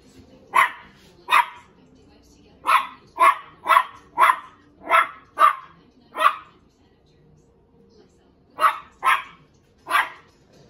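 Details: A Cairn Terrier puppy barking at his own reflection in a mirror to invite play gives sharp, high barks in quick bursts, with short pauses between volleys.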